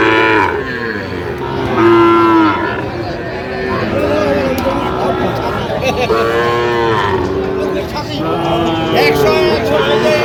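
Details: Cattle at a Jamalpur market where Sahiwal bull calves are being sold, late August 2025. Repeated long, harmonic lows come every few seconds, some rising then falling, over constant background chatter.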